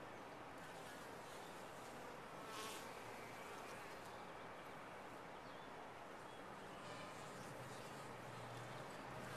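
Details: Honey bees inside a top-bar hive, a dense, steady hum-like buzz running unbroken through the whole stretch, soft and even in loudness with a faint rougher swell near the third second.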